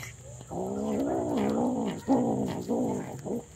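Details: A super hungry kitten gives a string of meows: one long, wavering meow that rises and falls, then three shorter, clipped meows in quick succession.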